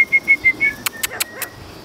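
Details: Toy Schnauzer puppies, four males seven weeks old, romping and playing outdoors; a quick series of short high yips followed by four sharp, separate bursts, then quiet.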